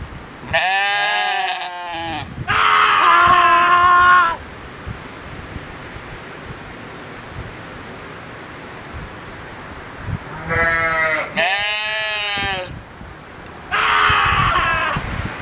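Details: A sheep (Ovis aries) gives loud, strained, wavering bleats that sound almost like human screams.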